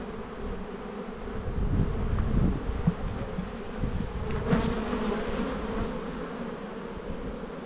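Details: An open hive of honey bees in an Australian bee yard in spring, frames with eggs and pollen being checked: a droning hum that swells and fades, with a brief louder buzz near the middle.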